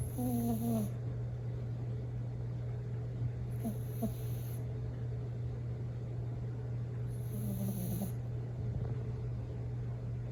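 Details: Coco, a Bichon Frise dog, snores in her sleep: three breaths roughly every three and a half seconds, with faint wheezy whistles and airy hissing inhalations, over a steady background hum.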